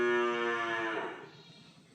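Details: A calf moos once in the background during an indoor lecture: a loud, harmonic, slightly falling bleat lasting about one second, then fading into near silence with a faint click at the end.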